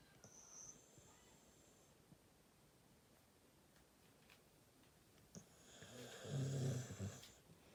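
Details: Snoring Labrador Retriever during sleep, mostly quiet breathing for five seconds before a rising, rattling low snore with a whistling hiss, peaking and fading over the last two seconds.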